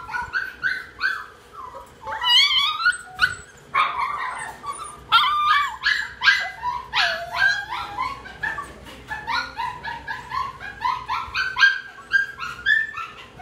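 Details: Tiny red-brown poodle producing a long run of high-pitched yips, whimpers and squeaky barks, irregular and excited, with rising and falling whines throughout.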